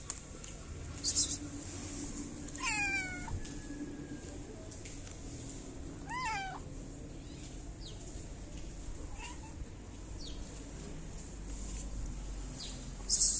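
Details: Fluffy stray cat in a Moroccan city, being petted around feeding time, gives two clear meows, each a drawn-out wavering rise and fall, around three and six seconds in, with faint shorter mews between over steady low background hum and brief clicks.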